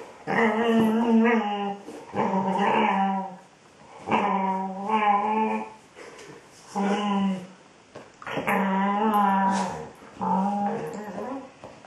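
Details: Female Border Collie indoors, vocalizing at her ball as if talking to it: a series of drawn-out, moaning howl-like tones with rich harmonics, each lasting about a second, separated by short pauses; a faint hum in the background.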